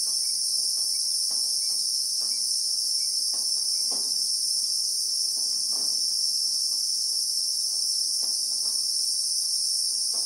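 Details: In real time in South African acacia bushveld, Christmas beetles (Anoplognathus) keep up an unbroken high, searing drone, while faint short chirps repeat roughly every half second along with scattered soft clicks.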